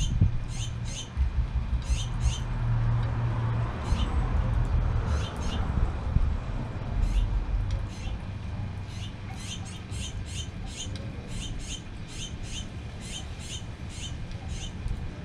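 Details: Baby squirrel exploring a garden for the first time without its mother: runs of thin, high-pitched squeaks, roughly three per second, stopping and starting, over a steady low wind rumble.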